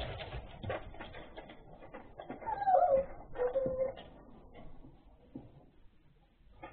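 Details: Puppies whimpering indoors: a thin, high whine that slides downward, then a short flat whine a moment later, amid soft shuffling, bumping and handling noises.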